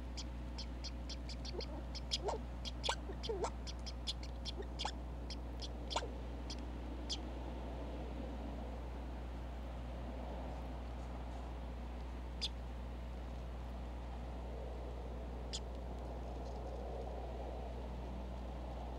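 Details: A red squirrel at a Minnesota backyard feeder cam, winter, gives a quick series of sharp, clicking chucks, then fewer scattered calls; distant vehicles may be audible.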